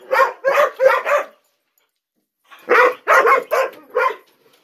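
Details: Ten-month-old Gollie puppies impatient for breakfast in the morning; four quick sharp yips, over a second of silence, then another burst of five yips.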